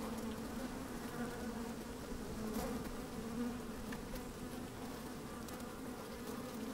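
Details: Microphone lowered into an opened beehive picks up honey bees working on a fine sunny day: an even, unbroken low drone with a steady overtone band and occasional faint clicks of bees crawling past.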